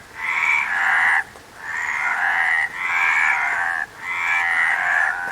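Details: Frog croaks, each a drawn-out rattling buzz lasting about a second, three or four in a row separated by short pauses, with no other clear sounds.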